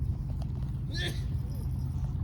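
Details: Seaside cat that came out from among tetrapods answers a woman's soothing voice with one short, arched meow. Steady low rumble from the shore behind it.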